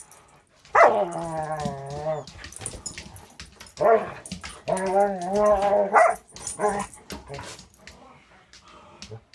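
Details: Angel, a six-month-old Border Collie mix in foster care with Wisconsin Border Collie Rescue, playing with another dog named Cisco: drawn-out, whiny, harmonic growl-moans in two main bursts, then shorter yelps and rustling.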